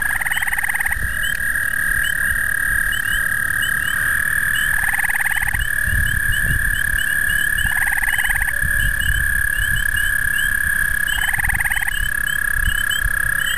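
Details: An overly amorous male American toad (Anaxyrus americanus) in the breeding season attempts amplexus with anything. It gives a long, steady musical breeding trill, with shorter pulsed chirps breaking in.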